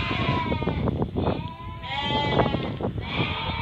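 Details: Merino sheep from Hungary inspected by a customer from Turkey: repeated harsh, wavering bleats come in bursts about every one to two seconds over heavy low rumbling, trampling and knocking sounds.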